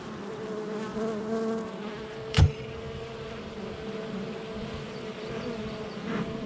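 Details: Busy honey bee hive entrance, July 22nd, 2024, with a sustained mid-pitched drone and a clear single wingbeat tone holding steady, broken by one sharp knock partway through.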